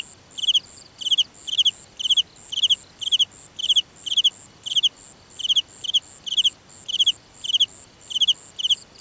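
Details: Cricket calling at night in a grass field, a loud high pulsed chirp of three or four quick notes repeated about twice a second, steady throughout, with fainter insect trills above.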